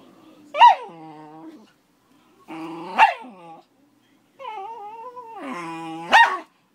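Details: Thirteen-year-old Schnauzer angry with a five-month-old Akita-Labrador puppy indoors: three drawn-out rumbling growls, each ending in a sharp harsh bark, spaced roughly two to three seconds apart, then quiet.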